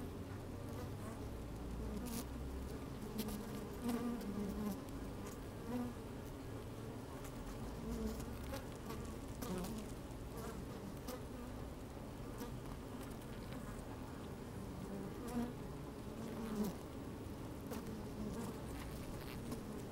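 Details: Working honey bees in an opened hive, sunny weather with a bit of wind, microphone placed down inside: a sustained low hum punctuated by short buzzing surges and frequent crackly clicks.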